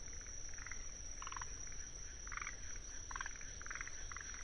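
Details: Forest green tree frogs (Rhacophorus arboreus) give short, rattling, chuckling bursts over a steady high trill of Kinhibari crickets (Anaxipha pallidula), in a wetland in Tsuruoka, Japan, on 19 June 2021.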